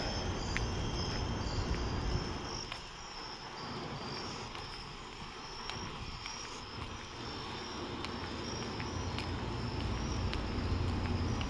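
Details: Crickets trill steadily at night during a walk to a store, a high continuous chorus over low rumbling background noise.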